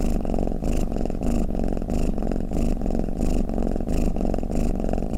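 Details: Low, buzzing cat snore, purr-like and unbroken, pulsing with each breath about every half second in a soft, regular cycle, recorded close with no background noise.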